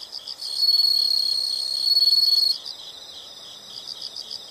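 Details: Insects calling in a natural sound recording: a loud, continuous high trill lasting about two seconds rises over a softer background of rapid, pulsed chirping that repeats about four times per second.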